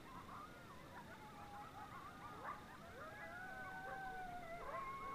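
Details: A pack of coyotes calls at sunrise as a bike ride passes, with tremulous yips giving way to drawn-out, gliding howls that rise and fall against one another, growing slightly louder toward the end.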